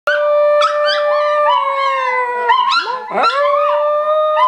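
A hairless dog gives a long, steady howl that wavers and breaks into yelping slides.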